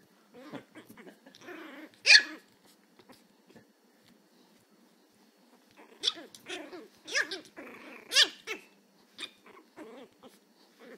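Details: Chihuahua puppy, described as angry and learning to bark, gives sharp high yips and growling barks, one loud yap early, then a rapid run of barks and yips in the second half.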